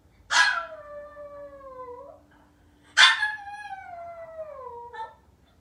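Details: Maltese puppy left by itself at home, waiting only for its family. Two howls about two and a half seconds apart. Each begins with a harsh yelp, holds a long gliding tone that drifts downward, and ends with a small upward flick.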